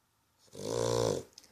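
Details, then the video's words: Dog snoring while asleep, one drawn-out rasping, buzzy breath lasting under a second, swelling then fading, with a faint click just after. "Snoring dog"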